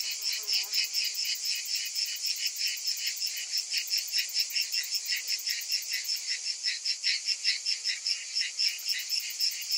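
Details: Cicadas calling on a summer day: a dense, shrill, high buzzing chorus that pulses steadily throughout, with a brief faint lower descending sound at the very start.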